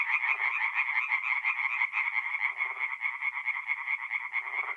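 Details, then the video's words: Night-time tree frog chorus from a forest pond in north-east Italy, mid-April: many frogs producing rapid, rattling pulsed croaks that merge into one continuous sound, plus a few short lower croaks. "relaxing forest pond by night with singing tree frogs"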